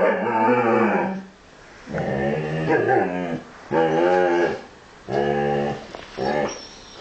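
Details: Two huskies talking to each other in drawn-out, moaning, harmonic howl-like phrases about a second long, four bouts separated by brief pauses.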